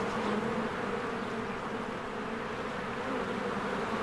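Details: Crowds of honeybees flying in and out of a hive in springtime make a thick, constant buzz, slightly louder at the start, with a steady low hum beneath.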